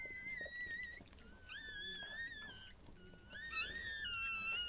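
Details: Chihuahua birth indoors, with newborn puppies: thin whistled squeals that hold level, then slide up and down. Long drawn notes come in bursts, with a quieter gap near the middle. Faint room noise underneath.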